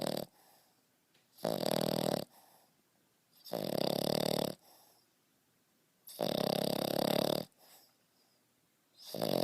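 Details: Beau, a French Bulldog pup of five and a half months, snores like an adult man: loud rough rattling snores lasting up to a second, recurring every two seconds, soft snuffling breaths in between.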